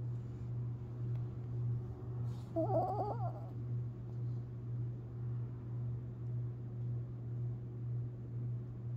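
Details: Long Haired Chihuahua Tinkerbell asleep and dreaming, recorded April 17, 2021; one short burst of wavering, squeaky whimpering just under a second long, then only slow breathing and a constant low hum.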